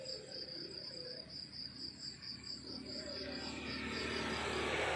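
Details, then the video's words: Morning crickets in the countryside give a continuous high, evenly pulsed chirping, several beats per second, with a soft rural background hum that swells toward the end. "The beautiful sound of crickets chirping in the countryside in the morning"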